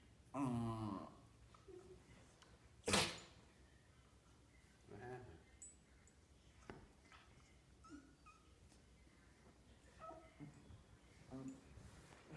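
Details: West Highland White Terrier making odd noises while playing with another dog indoors: a loud whiny growling burst at the start, a sharp sneeze-like snort, then scattered soft grunts and huffs.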